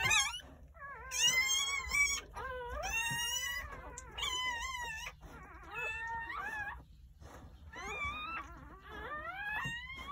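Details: Freshly born Jindo puppies squealing on New Year's Day in a rural home, during a birth of nine pups from 8:30 am to 1 pm. High, reedy cries rise and waver in repeated bursts every second or two, indoors.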